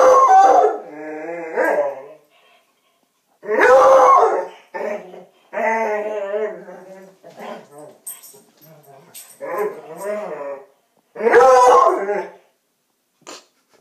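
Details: Coonhound kept as a pet, first to find a Halloween doll put in a bed, alternating loud harsh bays with wavering howls and short yips over about fourteen seconds.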